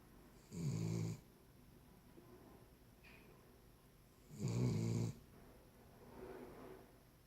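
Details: Cavalier King Charles Spaniel snoring while sleeping: two gravelly snores about four seconds apart, then a fainter, softer breath, against a low background hiss indoors.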